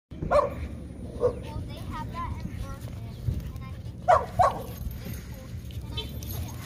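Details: Chihuahua out on a night walk in a park: short, sharp yappy barks, two spaced single ones early on and then a quick pair near the end, with people talking throughout.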